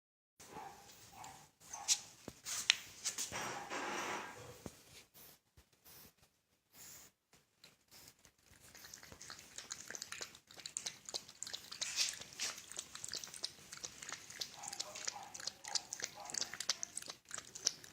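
A sleeping French Bulldog snores and snorts in rough, airy bursts of breath.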